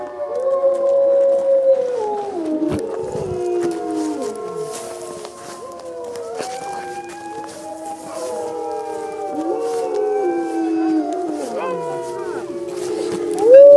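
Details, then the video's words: Chorus of gray wolves at a Colorado wolf and wildlife center during a full moon feeding, November 17th, 2013: many overlapping howls rising and falling, layered voices with wavering pitch, brief breaks and short sharp clicks, ending on a rising note. "Wolf Howls! (Full Moon)"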